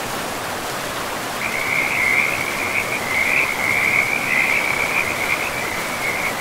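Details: Frog calling beside a river in a pristine forest: after a quiet start, a continuous high, rapidly pulsed trill runs steadily for the rest of the clip over a constant rushing-water hiss.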